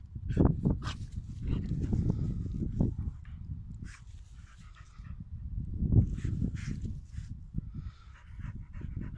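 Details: Playful dog fight full of continuous deep, grumbling growls that rise and fall in two surges, with faint scuffling above.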